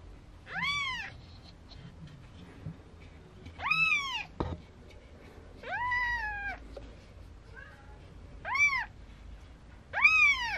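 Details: Newborn Maine Coon kittens, four days old, from a Tokyo breeder: five thin, arching mews spaced a second or two apart, each bright and slightly rising before dropping, with one soft click between calls.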